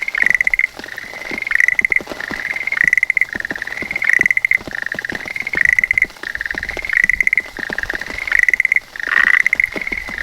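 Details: Schlegel's green tree frog perched on a calla leaf, calling when rain starts, recorded on a handheld phone: a steady series of about eight crisp, chattering trills, each under a second, over light rain pattering.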